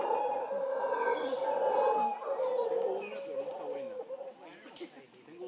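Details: Costa Rican howler monkeys howling at Manuel Antonio National Park: a loud, hoarse, wavering roar for the first three seconds, then trailing into softer broken grunting calls.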